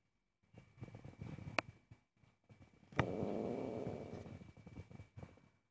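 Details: Angry domestic cat objecting while its owner cooks indoors, giving a low, rough, pulsing rumble that swells into a louder sustained stretch midway, with sharp clicks and knocks from the room around it.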